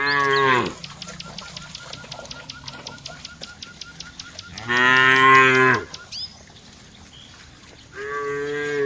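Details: Dozens of tame village cows being herded on their daily walk; loud drawn-out moos of about a second each, three separate calls, with a steady rapid high ticking in between.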